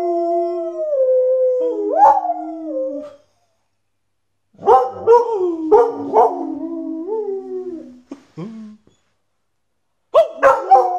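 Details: A Border Collie howls along with its owner in long, sliding, wavering tones, breaking into yelping rises between drawn-out notes, with music in the background.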